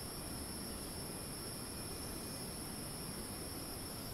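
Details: In Thailand's Ton Pariwat wildlife sanctuary north of Phang-Nga, cicadas keep up a level, piercing insect hum in the rainforest, unchanging throughout, beneath which runs a steady low hiss.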